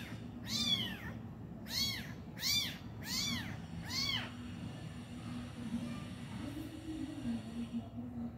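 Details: Kitten and its injured mother, the mother at last feeding her abandoned young: five loud, bowed meows in quick succession over four seconds, then quieter low murmuring and background hum.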